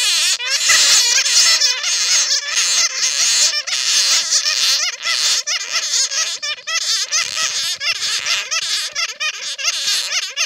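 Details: Bat colony sounds recorded from netted bats, played to lure more bats: crowded, high-pitched twittering squeals with wavering, bouncing notes tumbling over one another without pause for ten seconds.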